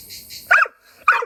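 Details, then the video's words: Jealous pit bull, upset that grandpa sits with a cousin's dog, gives two sharp, short barks about half a second apart over a faint insect buzz. "My dog is jealous of my cousin dog because my grandpa sitting with him"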